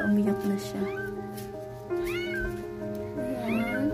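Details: First-time Siamese mother cat in labour, delivering seven kittens: two or three clear arching meows, each rising and dropping in pitch, while loud sustained music plays throughout.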